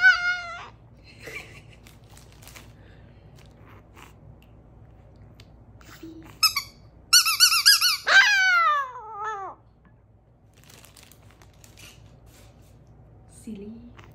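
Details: Chihuahua Cedric howling emotionally indoors after receiving squeaky toys in the mail: a high, wavering howl in brief bursts, then a long tone sliding steadily downward, with quiet pauses and a few faint squeaks.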